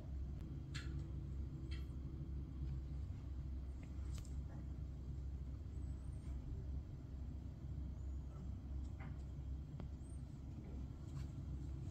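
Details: A constant low rumble, like distant traffic, is heard with scattered faint clicks and taps above it and no clear animal sound.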